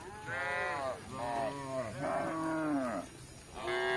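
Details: Village cattle out foraging for grass moo in a continuous chain of calls, one sliding downward in pitch, over a steady background hiss.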